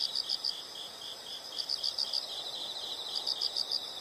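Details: Insect calls heard as a nature sound: short high chirps in clustered bursts of three to five, pausing between groups, over a soft hiss of background noise.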